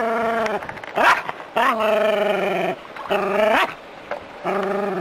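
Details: Jack Russell Terrier playing with water from a hose, giving long, drawn-out, tonal yowling barks with a wavering pitch, each lasting about a second and broken by short sharp yips.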